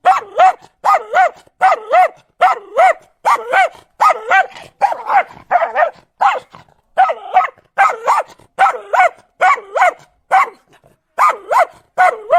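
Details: Dog barking in quick doubled yaps, each with a bouncing up-and-down tone, repeated steadily about once a second with brief pauses.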